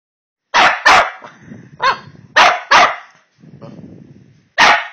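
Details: Two Boston Terriers, Beefy and Jinx, "having a talk", trade sharp, broad barks in quick pairs, with low grumbling between.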